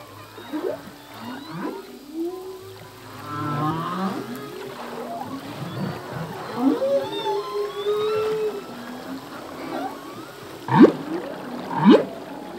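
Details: Humpback whale male song from the sea: a busy run of short rising and falling squeals and moans, ending in two sharp upswept chirps near the close.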